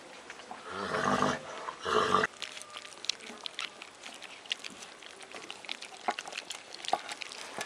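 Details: Four-week-old Alaskan Malamute puppies from a kennel litter: two rough, harmonic growling bursts near the start, each under a second, followed by scattered clicking, pattering and scuffling noises.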